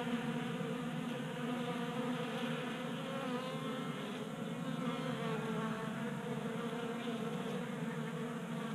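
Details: In January warmth in Colorado, honey bees feast at a 3D printed feeder on a garage workbench, burning their winter fat stores; dense, continuous buzzing from many bees holds an even, low-pitched drone throughout.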